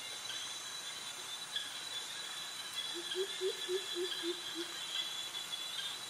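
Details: Cicadas drone in a steady, shrill chorus, with a brief series of low, quick notes midway, on a tropical jungle walk past mangroves in Krabi, Thailand, where crickets also call; cicadas.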